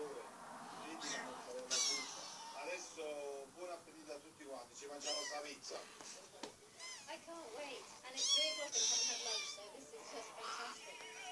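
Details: Five-week-old kittens indoors, several high, thin mews overlapping in quick irregular succession, some rising then falling, with soft household noise underneath.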